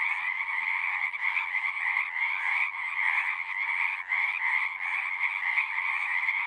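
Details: Loud massed frog calls merge into a continuous rattling trill, many voices overlapping with slight swells and one small dip.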